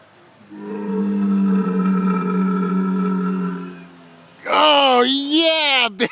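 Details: Camel at Bowmanville Zoo letting out a long, steady, low groaning drone for several seconds, followed by a loud, warbling, wavering bellow that swoops down at the end.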